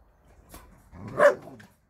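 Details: A dog at a shelter for abandoned dogs, heard during a Sunday volunteer visit, gives one short, sharp bark, preceded by a faint soft yelp, with quiet around it.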